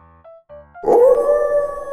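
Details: Gray wolf. Brief musical tones open the clip before a wolf's howl swells in. The howl holds a long, smooth, mid-pitched note that rises a little and stays steady.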